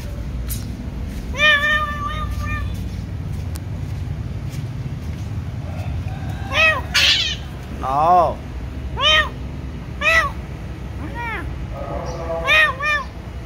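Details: Pet cat asking for its mixed rice: one long, flat, drawn-out meow, then a run of about seven short, arched meows, roughly one each second, above steady low rumble.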